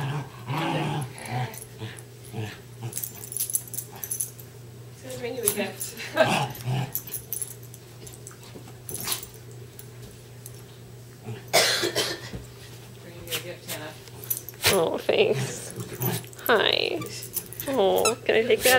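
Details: Two West Highland White Terriers, Darby and Riley, playing tug of war with a toy indoors; rough, broadband bursts of play noise and low growling come in clusters, with human speech and brief music throughout.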